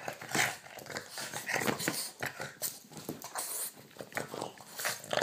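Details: A Boston Terrier biting a hand during its usual night-time play makes a run of short, rough growls mixed with snorts and snuffling breaths, in quick, uneven bursts close by in a small quiet room.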